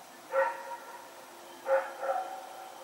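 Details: Night barking from Rex, a dog running around in the dark on 21 September 2018; a sharp bark opens, then after a gap comes a quick pair of barks, with low electrical hum beneath.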